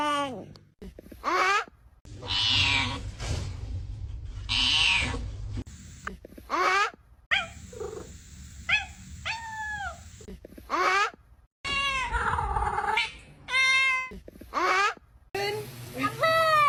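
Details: Domestic cats in a compilation of funny cat sounds: a series of short, harmonic meows, most falling in pitch and some drawn-out and wavering, cut together with abrupt breaks and brief stretches of music and low rumble between calls.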